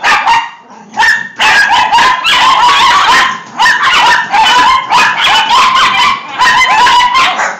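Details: A pack of six dachshunds in a frenzy over a punch balloon. A few quieter yips come first, then a burst of rapid, overlapping shrill barks and yelps runs steadily to the end.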